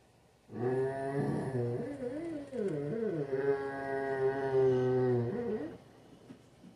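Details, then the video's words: Rhodesian Ridgebacks joining in a pack howl indoors: several wavering voices slide up and down over a steady, low, humming drone that holds for about five seconds before fading. "Rhodesian Ridgeback Insights A Pack Howl"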